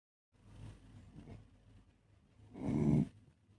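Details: A sleeping Beagle snores: a soft rasping breath early on, then one louder, throaty snort-like snore near the end, with quiet breathing in between.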